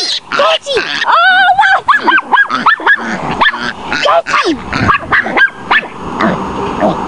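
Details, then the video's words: Tootie, a pet Chihuahua, baying a wild boar piglet: rapid high yapping barks in quick bursts, with shrill squealing cries near the start and a voice mixed in. "tootie bayin a wild boar pig"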